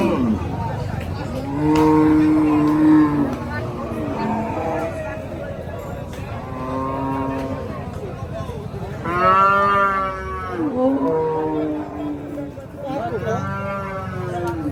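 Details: Water buffalo at the Paragram livestock market, with several loud, harmonically rich moaning bellows, each lasting one to two seconds and some rising then falling, repeated through the stretch over a busy market hum.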